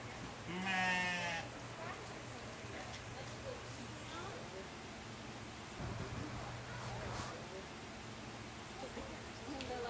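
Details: Two 4-month-old Cotswold lamb sisters, Daphne and Delilah, born in April, in their new Farmyard home at a zoo; one loud harmonic bleat near the start, then fainter wavering calls, with a low steady hum and human speech in the background.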